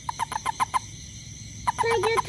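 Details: After rain around a home, a toad hunting ants calls with six evenly spaced short pips in under a second, falls silent, then resumes pipping amid warbling tonal chatter, with insect hum throughout.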